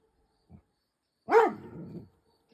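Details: Rhodesian Ridgeback frightened by a scarecrow lets out a single loud bark that rises and falls, trailing into a rough fading tail, with silence around it.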